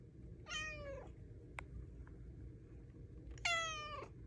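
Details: Luna, a pet cat, during belly rubs: two descending harmonic meows about three seconds apart, the second louder, with a faint tick between them over a low hum.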